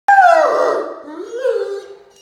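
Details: Great Danes Mikey, a 7-month-old 110 lb puppy, and his older sister Ellie playing with toys indoors; a single drawn-out, falling whine or howl with a clear tone that slides gently downward and fades over about two seconds.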